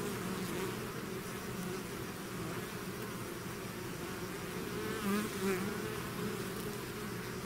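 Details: Swarm of bees out of its hive giving a continuous low droning buzz, with a couple of nearby bees swelling louder for a moment partway through.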